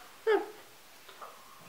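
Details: Sammy, a golden retriever puppy kept indoors, hunting for treats folded into a blanket as a brain game, lets out one short, loud falling whine, followed a second later by a fainter, higher squeak in a quiet room.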